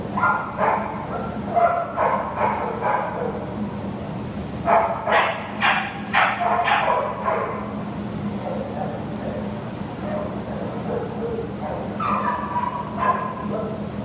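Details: American Pit Bull Terrier awaiting adoption, 6/11/2015, gives quick runs of sharp barks, thickest in the middle, with pauses and a steady low mechanical hum behind.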